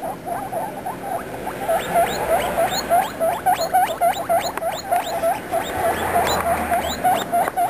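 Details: Baby guinea pigs chatter in rapid squeaks, some rising sharply into thin upswept whistles, about three or four calls a second throughout, with several voices overlapping.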